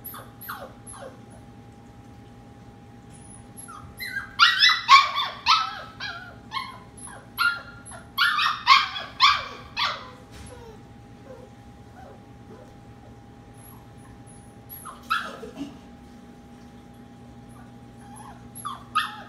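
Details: Nighttime in a kitchen with 15 sleeping puppies: a burst of rapid, high, wavering yelps and whines rises in the middle, fades to quiet with faint squeaks, then returns briefly. Low household hum continues throughout.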